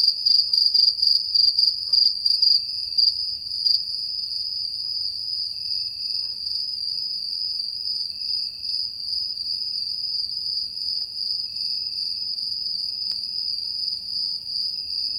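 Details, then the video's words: Crickets chirp at night in a steady, high-pitched stream, pulsing at first before settling into a continuous trill. "Crickets at Night Sound Effect - High Quality"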